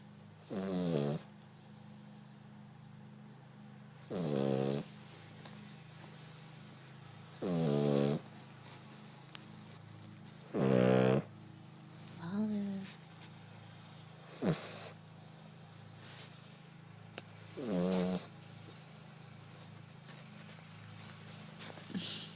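A Cavalier King Charles Spaniel snores in slow, rasping bursts roughly every three seconds.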